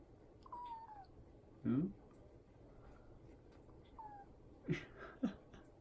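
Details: Odeko, an affectionate, talkative pet cat, gives two separate meows, each falling slightly in pitch. A person's voice comes in briefly between and after them indoors.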